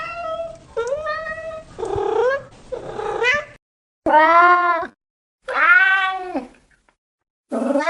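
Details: A cat's meows of varied length: several short rising cries, then two long, loud arching wails separated by silence, and a final rising meow cut off at the end.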